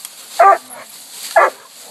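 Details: Coonhounds (two Walkers, an 8-month-old pup and a 5-year-old, a 6-year-old Black and Tan, an 18-month-old Bluetick) treeing a raccoon at a new hunting spot, eight minutes after turnout. Two loud, short barks about one second apart, over quiet background.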